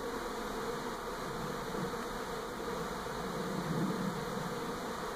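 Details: Honey bees swarming around a house in NE Portland in 2018 as the colony relocates to a new hive; continuous low buzzing drone, slightly swelling toward the end, with faint background rumble.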